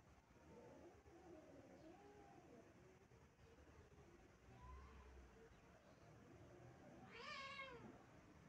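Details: Stray cat howling on the stairs: a long, low wavering wail rising and falling for about three seconds, then after a pause a louder, sharper drawn-out cry that rises and falls near the end, over a steady low rumble.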